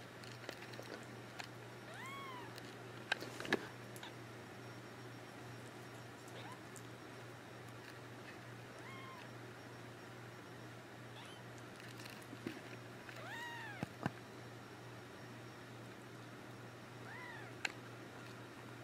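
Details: Persian kittens three weeks old, born March 5, 2014 and recorded March 24, 2014, give thin, faint arching mews, about six scattered across the recording, over a steady low electrical hum with occasional clicks and knocks.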